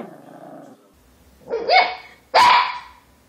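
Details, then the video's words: Puppy giving a low rumbling growl, then two loud, high, sharp barks, the second harsher and louder, in a quiet room. "Preciosos cachorros ladrando"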